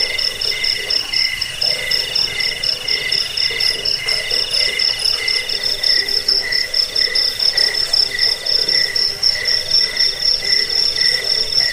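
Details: Cricket chorus used for repelling rats, bedtime listening and songbird training: fast rhythmic pulsed chirps at several high pitches, one band throbbing in short bursts, continuing steadily beside a quiet low rumble.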